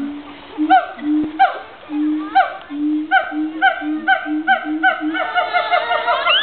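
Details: Siamangs at Woodland Park Zoo call with deep booming notes under loud, rising barks that repeat faster and faster, calling loudly at a visiting class of children.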